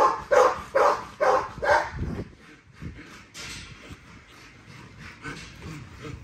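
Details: Four strong, evenly spaced barks open the recording of Nyla, a female XL ghost tri American Bully during her workout, followed by softer, fainter sounds for the remaining seconds.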